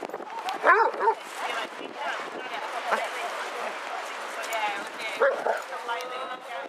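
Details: Among 22 Basset Hounds walking through Hazlehead Park, Aberdeen, on 2 February 2014, a pair of ringing barks opens the clip and another sounds near the end, over steady outdoor conversation.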